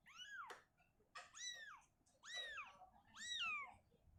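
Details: Four clear, bright meows, each curving up then down, come from a small room where Shizuka, a mother cat, is moving her kitten to an open area. A sharp click is heard near the start.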